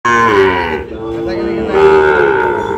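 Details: Sahiwal bull calves at Ambari livestock market, Dinajpur district, on Monday market day, 24 November 2025: two long, low, droning moos rising slightly in the middle, with a short pause between them and faint market background.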